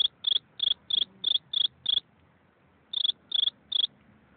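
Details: One cricket chirps in brisk high-pitched pulses, seven in a row, then a pause of about a second before three more; each chirp is a short, clean, ringing trill against near silence.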